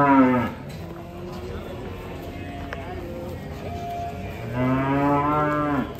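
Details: Banteng cattle from a herd, giving a loud, deep harmonic moo that drops off sharply, a quieter stretch, then a second long, level moo near the end; faint background music.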